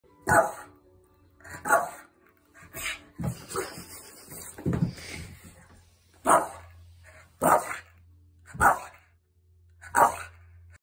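A Boston Terrier gives sharp, loud barks at uneven intervals, with a low hum beneath.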